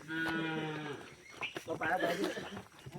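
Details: A working village bull in the Konkan countryside, seen again after about twenty days away, gives a single low, steady lowing moo lasting about one second, followed by people talking nearby.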